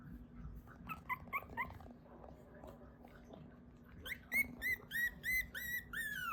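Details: Newborn Mame Shiba puppies, cared for in Isa, Kagoshima, Japan, crying while dreaming: soft squeaky whimpers early on, then a run of high, clear, slightly falling whines repeated roughly twice a second, over a low steady hum.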